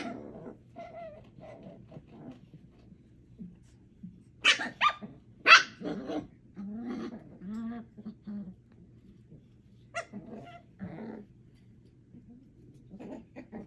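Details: Eight-week-old puppies Thumper, Coco, Aurora and Elvira at play: irregular small growls and grunts, a cluster of sharp high yips and squeals partway through, then softer whiny grumbles and occasional yaps about once a second.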